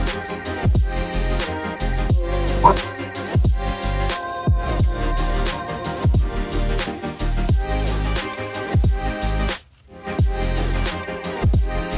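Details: Loud hip hop music with a strong beat and rapping fills the whole stretch, with no animal sound.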